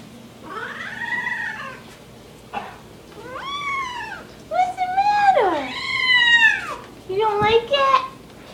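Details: Loud, whiny rescued male kitten fitted with a diaper meows repeatedly, about five long wavering cries, some rising then sliding down, others arched and nasal, with a woman's voice speaking to him between them.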